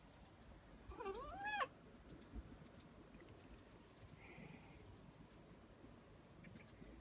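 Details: One short, wavering meow near the start from Nak G, a male pet cat born 19 May 2017 who is waiting for his owner to finish work and play with him. Quiet room noise follows.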